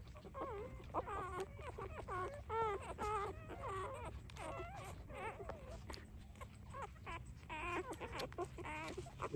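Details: Three-day-old puppies nursing, giving high, wavering whimpers and squeals in rapid overlapping bursts, roughly two a second, with some calls bending up and down in pitch; a low steady rumble underneath.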